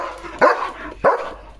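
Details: German Shepherd dog at home, playful after running off with a bucket: two sharp loud barks about 0.6 seconds apart, with people talking nearby.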